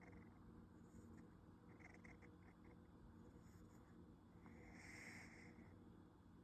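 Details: A sleeping female kitten, a rescued cat, snores softly at home with its mouth hanging open during a daytime nap; a steady low rumbling breath pulses rapidly throughout, with faint brief higher rustles near the middle and end.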